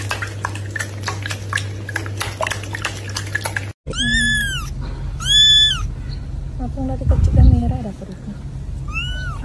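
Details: Domestic cat meowing in a funny cat compilation: after a few seconds of clicking, rustling noise, three high, arched meows rise and fall, the last one fainter, over a low steady hum.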